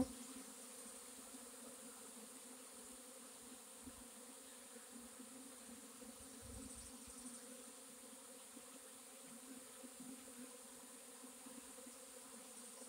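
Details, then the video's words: Honey bee swarm recorded 4/26/21, a steady dense hum of many bees with layered bands low and high, continuous throughout with little variation. "Honey bee swarm"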